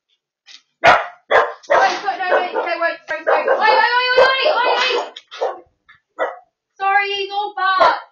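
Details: A dachshund and a poodle in Perth, Australia, on October 30, 2024, team up barking against a delivery driver. Loud, rapid, harsh barks and yelps come in dense runs, some drawn out and tonal.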